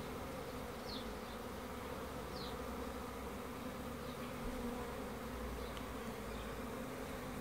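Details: Honey bees humming in a constant low drone, with two or three short, sharp high chirps standing out early on.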